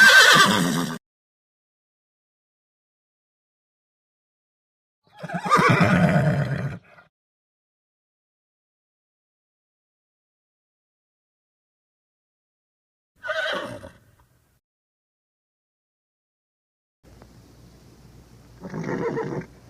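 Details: Four short horse neighs spread widely apart with long silences, each a quick shaky whinny; the last is softer and rides over a faint low hum.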